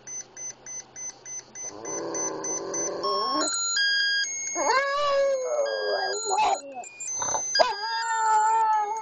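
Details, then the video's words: Boston Terrier Oscar, a little epileptic pup, set off howling by a Swatch watch alarm. Short wavering howls break in between dense electronic tones, beeps and music, with several pitch slides and brief gaps. "Making Oscar howl"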